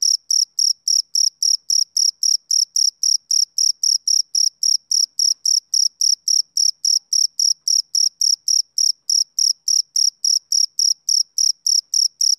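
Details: Steady chirping of a male cricket on a summer evening, sharp high pulses evenly spaced at roughly three and a half per second, unbroken throughout, over complete silence.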